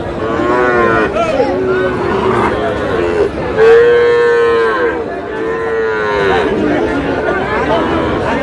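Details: Sahiwal bull calves at a busy cattle market in Swapnapuri, Nawabganj, Dinajpur, Bangladesh, on 31 March 2026; repeated drawn-out lowing moos, several overlapping, with steady crowd chatter and men talking throughout.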